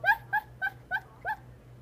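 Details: Dreaming in her sleep, Lola the dog gives five short, squeaky, upward-bending whimpers spaced about a quarter second apart, with a faint low hum underneath.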